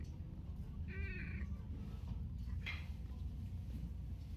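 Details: A calling cat gives one short, wavering meow with a stacked, slightly quavering tone early on, then a brief fainter sound follows; a steady low rumble fills the background throughout.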